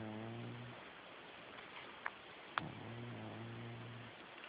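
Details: Sleeping domestic cat snoring: two low, buzzy, harmonic breaths, the first fading out early and the second lasting about a second and a half. A couple of sharp clicks sound in the quiet gap between them.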